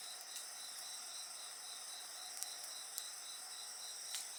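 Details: Dense, high insect trilling rings on without pause, a pulsing chirr running beneath steady whistled tones, with scattered sharp crackles from a burning bonfire.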